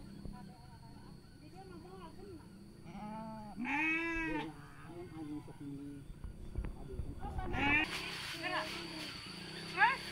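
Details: Sheep bleating during mating in Sirna Rasa village: a loud, wavering, harmonic bleat rises and falls near the middle, with shorter bleats before and after, under steady human talking and a constant high electrical whine.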